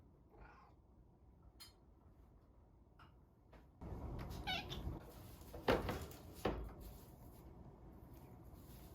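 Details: Ran-kun, a house cat recorded while wanting out of his cage or wanting food, makes a short strained meow amid bumps and rustling, with faint earlier cries and a quiet room hum.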